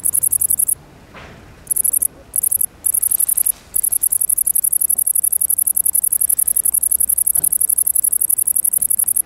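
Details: Great green bush-cricket (Tettigonia viridissima) singing: high, shrill, rapidly ticking buzz in pulsed trains, stopping and restarting several times early on, then running continuously.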